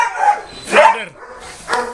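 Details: Boerboel at the Delatro Boerboels kennel, visited on 30 October 2013: one loud, broad, rough bark just before the one-second mark, then a shorter, fainter bark near the end, with people chatting close by.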